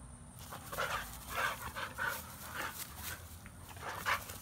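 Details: Pet American Bully with a pitbull, panting: quick breathy puffs repeated about every half second, rough and broadband, with light scuffling noises in between.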